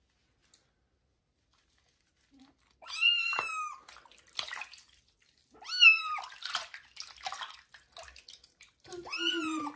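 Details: Kitten taking its first bath indoors in a bathroom gives three loud, high meows, each rising then dropping sharply, a few seconds apart, with soft splashing between them and a brief murmur of a woman's voice at the end.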